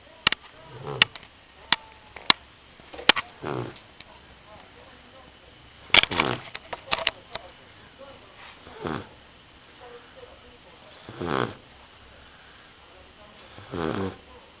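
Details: Rottweiler. A Rottweiler puppy snores in its sleep, each breath a breathy, rattling rasp that swells and fades. The snores come every two to three seconds, with a few sharp clicks and faint background noise between them.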